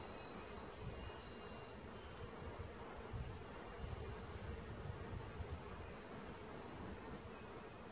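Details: Bee swarm during capture, producing a dense, continuous humming drone that fills the air without pause for the whole stretch.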